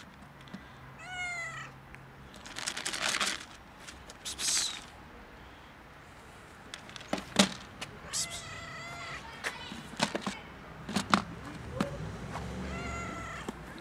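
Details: Stray cats competing for food on a bench in cold winter, one eating while another holds back; several short harmonic meows, rising and falling, some with broad noisy bursts, amid faint background rumble.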